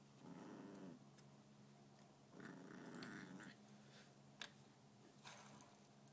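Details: A corgi puppy playing with a bike pedal growls in low, rumbling bursts, with a few sharp clicks between them.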